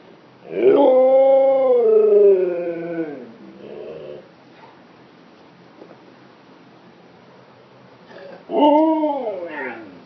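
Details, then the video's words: Pet Siberian Husky wooing at a stuffed hippo toy: a long, rising-then-falling vocal woo of about two and a half seconds, a softer short murmur, a quiet pause, then another rising woo. "Siberian Husky woos at stuffed hippo"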